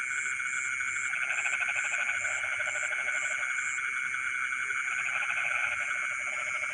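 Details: Frogs singing in rice fields in the middle of the night: a dense chorus of rapid pulsed croaks in bursts of a few seconds, over a steady insect drone and a high pulsed insect trill.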